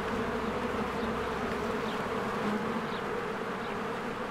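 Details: Many honeybees coming and going at a spring beehive. A constant buzzing roar with a slight wavering in the hum, and several short, faint bird chirps over the top.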